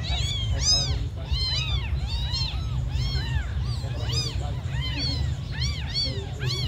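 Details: Abandoned kittens, among the smallest, crying in rapid overlapping high meows, each an arched rising-then-falling wail, several voices calling almost continuously over a steady low rumble.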